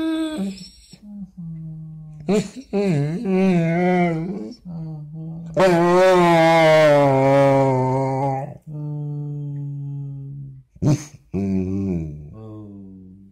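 A Basset Hound gives long, wavering moans and short howls, rising and falling like chatter.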